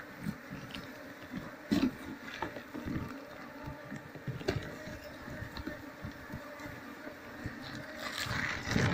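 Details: Asian honey bee (Apis cerana) colony being moved into a cultivation box once the queen is secured, combs cut out with a knife. A steady low droning hum with even overtones runs throughout, broken by knocks and handling clatter.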